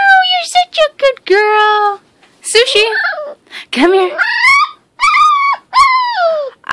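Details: A talkative six-week-old female American Pit Bull Terrier puppy indoors makes a run of drawn-out whines, yelps and howl-like squeals, some rising then falling, several in quick succession, with short pauses between.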